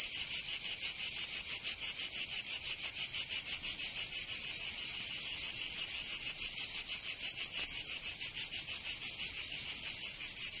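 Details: In Provence, southern France, cicadas sing through a summer day with an unbroken high-pitched sizzling buzz that throbs in quick even pulses, about five per second, briefly softening midway.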